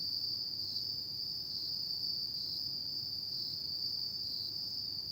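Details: Night chorus of autumn insects: a continuous piercing high trill with slight regular pulses, holding a constant level throughout. A soft low rumble lies underneath.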